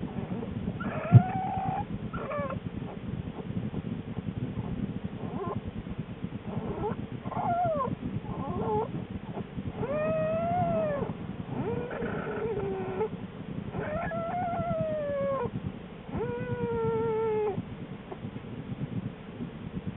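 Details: Denning female American black bear in January, days before birthing two cubs, recorded from inside the den: repeated drawn-out moaning calls rising then falling, several stacked with bright overtones, spaced a second or two apart above constant low rustling.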